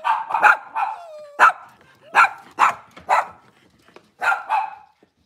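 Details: Cavalier King Charles Spaniels on an indoor kitchen camera on a cloudy Monday morning. Bright, high barks come in an uneven run of about eight, with a short thin whine sliding downward between the early barks.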